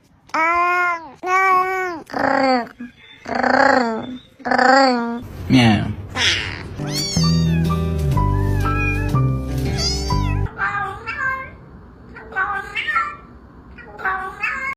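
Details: Several domestic cats making strange, varied meows: drawn-out, wavering cries with rising and falling pitch, repeated roughly once a second over the first five seconds. Loud music overlaps in the middle, then more scattered, quieter meows follow.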